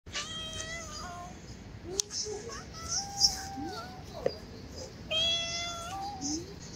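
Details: A chatty orange stray cat meowing repeatedly: clear, tonal mews with steady or gently falling pitch, several in quick succession, a louder meow near the end, with small clicks and a brief voice afterward.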